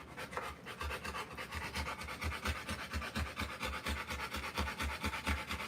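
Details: Rottweiler in labour, giving birth to puppies, panting hard: loud rhythmic breathy bursts, each with a low thud, coming several per second in a fairly regular beat.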